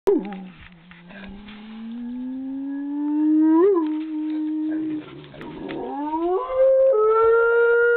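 A Rottweiler gives long, wavering howl-like moans that slowly rise and bend in pitch, almost like talking.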